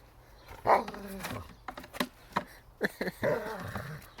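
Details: German Shepherd dog attacking a chair in the snow, giving rough, harmonic bark-growls in bursts, a loud one early, scattered short barks, then another strong growling burst near the end.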